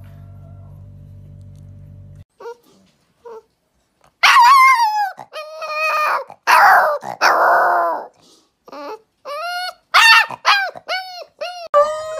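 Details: Puppies howling for the first time: after a low hum and a few faint yelps, loud wavering howls and yips break out in short bursts, some rising then falling, separated by silences.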